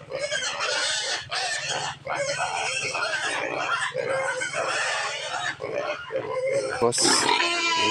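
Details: Native pigs squealing at feeding time after seeing the keeper hold the feed: dense, continuous shrill squeals with short breaks, with a low steady hum beneath, a man talking, and a sharp click near the end.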